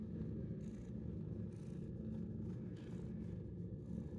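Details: A 10-month-old shelter cat that loves attention purrs steadily, a dense low rumbling throb sustained without a break, with faint brief hisses of higher noise drifting over it.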